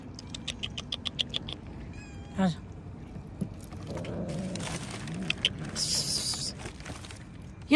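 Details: A cat being coaxed outdoors in Hindi gives a falling meow midway and a sharp one at the end, after a run of quick rhythmic clicks, with hissy rustling and a person's voice between.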